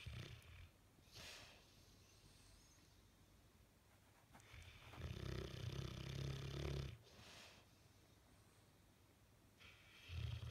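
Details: A sleeping Bullmastiff with a twitching face gives a low, rattling snore lasting over two seconds, set among quiet breathing, with softer breathy rushes before and after.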